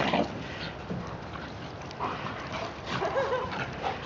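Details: Playing dogs, a 12-month-old German Shepherd named Achilles and Hilo, a 14-month-old Shiba Inu, indoors; short faint whimpering yips rise briefly over a steady hiss of background noise and low room sounds.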